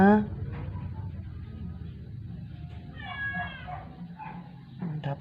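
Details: Sick rescued stray house cat, indoors, not eating for 12 days and dying after a vet clinic visit, gives a drawn-out, faint, wavering meow mid-recording, preceded and followed by tender Tagalog speech close by in a small room.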